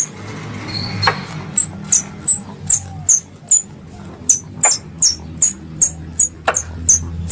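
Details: Squirrel calls used to lure squirrels for hunting: thin, high chirps that start sparse and become a regular series of clipped notes, over a low droning hum and occasional taps.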